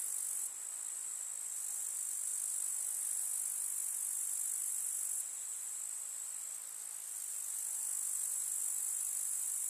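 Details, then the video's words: Countryside summer meadow with grasshoppers stridulating: an unbroken, very high, sizzling drone whose intensity shifts in steps a few times, with quiet lower background and no other distinct sounds. "КУЗНЕЧИКИ. Слушать звуки летнего луга"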